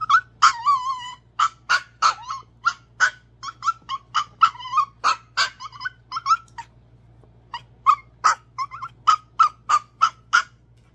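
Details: Izzy B, a tiny pet Chihuahua left out of play with the big dogs, pours out rapid high-pitched yips, several a second. These mix with whiny, drawn-out whimpers and a brief pause midway before the yapping resumes. The room is otherwise quiet.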